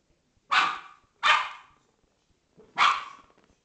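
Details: Dog barks while a Corgi and a Scottish Terrier play: three sharp, loud barks, the first two close together and the third after a pause of more than a second, each fading quickly, with faint quiet scuffling between them.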